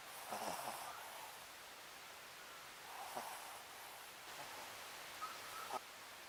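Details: Sakura, a pet Papillon, snoring while asleep: soft breathy snores at about one, three and five seconds, with quiet pauses between.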